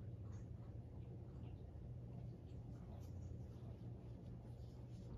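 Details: A female newborn kitten about ten days old, bottle-fed, purrs a soft, steady, low rumble without a break after her breakfast, while trying to find a place to snuggle down; her eyes have just started opening.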